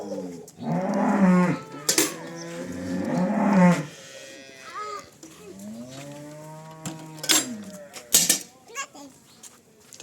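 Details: Cholistani Jersey cross cow in Pakistan, recorded March 12, 2025, lowing loudly: two strong, deep moos in the first four seconds, then a softer, longer bellow that rises and falls, with sharp knocks and people talking nearby.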